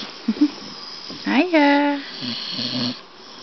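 A Staffordshire Bull Terrier snores while awake: a couple of short snuffles, then a rising, drawn-out nasal groan that holds steady before fading. Softer rumbling snorts follow in a quiet indoor room.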